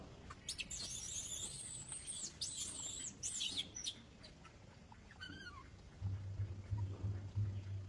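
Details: Baby monkey screaming as another monkey tries to catch her; she refuses and clings to an old monkey. High, sustained wavering squeals come in long bursts for about three seconds, then a short falling cry, and a low steady hum follows.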